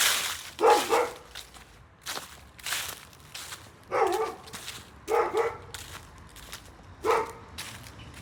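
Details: Angry dogs: a series of short, sharp barks, some doubled, about one to two seconds apart, with quieter gaps between them.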